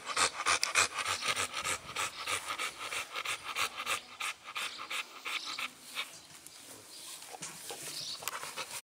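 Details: Quick, regular panting from the American Bully Blue Lexis of BBK, around three breathy huffs per second, softening slightly toward the end.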